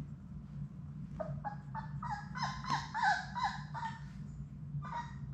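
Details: Labrador Retriever puppies from Sadie's litter of six, at play indoors in a puppy play room, make a run of short, quavering whines and yelps in quick succession over a steady low hum.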